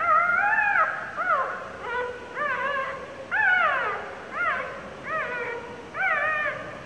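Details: Two-day-old puppy squealing for help as the mother dog sits on it. Short, bent yelping whines peak and drop sharply, some with a quick upward flick, coming in clusters with brief pauses between.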